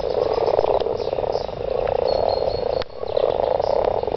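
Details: A garden full of mating frogs: rolling bursts of rapid, grating croaks, each trill lasting about a second, with a sharp click and a brief lull near the three-second mark.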